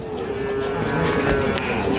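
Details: Sahiwal and other breed calves, six to eight months old, at Ambari livestock market in Dinajpur district; one long, steady, low-pitched moo holds through the whole moment over a constant murmur of market crowd noise.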